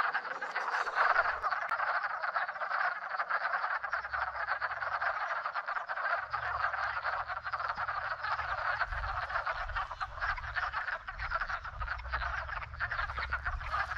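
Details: Wood frogs in a spring breeding chorus fill a shallow garden pond after migrating down the hill. Countless overlapping croaks merge into an unbroken, buzzing wall of sound, with intermittent low rumbling from movement nearby.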